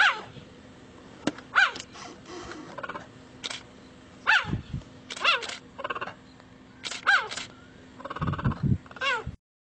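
A cheetah gives high, bird-like chirps that slide downward, repeated in short bursts.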